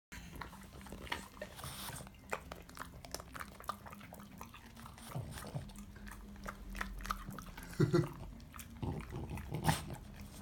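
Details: A French Bulldog eats a carrot, crunching and chewing noisily with sharp irregular snaps and wet munching.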